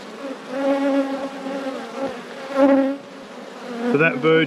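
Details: Honey bee hive being inspected in an apiary. A low, wavering hum of many bees swells and fades, with a brief, louder, buzzier burst near the end.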